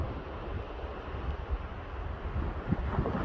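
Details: Only rumbling wind buffeting the microphone is heard, with no animal sound.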